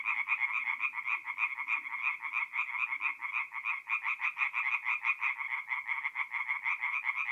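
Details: Tree frogs singing in the dark at a forest pond in north-eastern Italy in mid-April, many voices overlapping into an unbroken, quick clicking-rattle of roughly three pulses per second, with quiet low sounds underneath.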